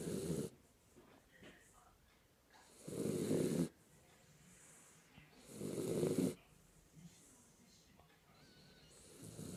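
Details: Kinako, a sleeping Jack Russell Terrier, snores softly. Breathy rasping bursts come roughly every three seconds, with quiet pauses between them.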